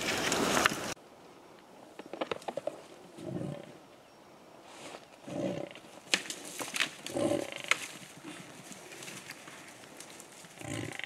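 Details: Two wild African buffalo bulls fighting in Kruger National Park on 19 August 2015, seen on safari. Low grunting bursts come every two seconds or so, amid sharp clacking knocks and rustling.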